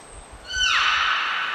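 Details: Short burst from Niko the beluga, recorded at a training session at Port of Nagoya Public Aquarium, 25 February 2024: a thin high whistle, then a bright harmonic squeal that sweeps downward and holds as a rough, buzzy tone.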